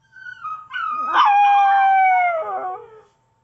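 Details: Pet Chihuahua howling: one drawn-out, clear tonal note that swells after a brief rising onset, holds steady and slowly sags in pitch over about two seconds before fading, with bright overtones and a quiet background.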